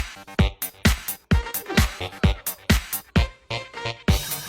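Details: Electronic dance music with a steady disco beat and punchy percussion, without any animal sound.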